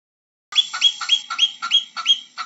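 A marmot gives a quick series of sharp, high chirping calls, about four each second.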